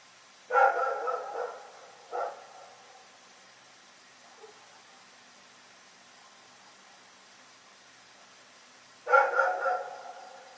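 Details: Rex, a dog, barking during the night: a quick string of barks, a lone bark after, a long hush, then another sharp cluster of barks.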